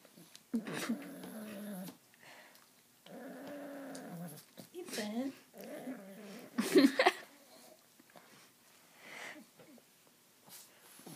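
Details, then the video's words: Pet dog making a funny noise: two long, wavering harmonic moans followed by a run of shorter sliding whines and yelps, with a human voice briefly mixed in near the end. "My dogs funny noise"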